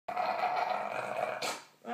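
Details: Alan, an English bulldog, having a chat: one sustained, droning, moan-like vocalisation lasting over a second with a steady mid pitch. It ends in a brief breathy burst and a short final grumble.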